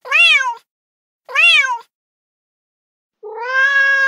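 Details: Young male street cat calling loudly to a female in heat: two brief, bright meows rising then falling, a pause, then a longer, steadier, rising meow.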